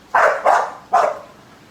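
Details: American Bully dog giving three short, sharp barks in quick succession, with a faint background hiss.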